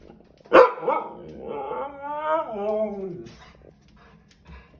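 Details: Siberian Huskies, two dogs, lecturing and trash talking another dog passing by: one sharp bark, then a drawn-out, wavering, howl-like moan that rises and bends downward over about a second and a half, ending in quiet.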